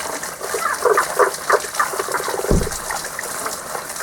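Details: Unseen frogs, heard only in this season, give a mid-to-high pitched song: a quick run of short repeated notes, about three per second, over a steady rush of flowing water, with one dull low thump midway.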